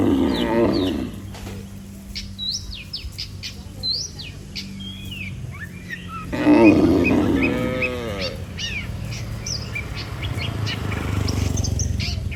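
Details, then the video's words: Herd of dozens of tame cattle walking back to the barn from the field: a short moo opening, a long wavering moo midway, with bird chirps and a continuous low hum. "Suara sapi Moo"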